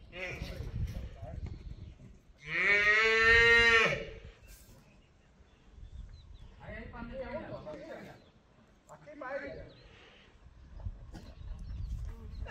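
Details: Young heifer used for bullfighting training at a private bullfighting school on a cattle ranch in Spain; one loud harmonic bellow lasting over a second, followed by quieter human voices and calls.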